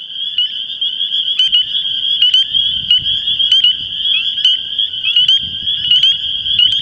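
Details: Spring Peepers in a spring breeding chorus from Long Island swamps and vernal pools: thousands of calling males merge into an unbroken, shrill, high wall of sound, with sharp rising peeps and clicks poking through and a faint low rumble beneath.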